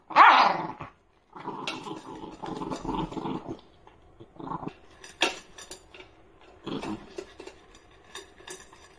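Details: Shiba Inu guarding its food: a sharp loud outburst, then a rough droning growl over about two seconds and brief snarls, with clicks and handling noises between them.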